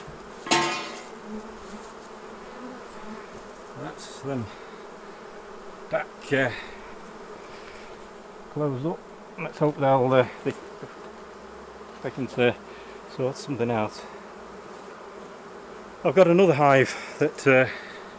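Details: Hive-side honey bee hum while honey is taken off the hives: a continuous low drone broken by repeated loud, wavering buzzes of individual bees darting past, clustered around six, ten, twelve and sixteen to eighteen seconds.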